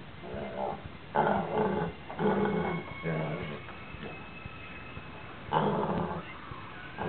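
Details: Jefferson, a gigantic Basset Hound, vocalizing after eating sardines, as he does every time he has them. About five low, rough, harmonic moaning bursts, each under a second, separated by short pauses.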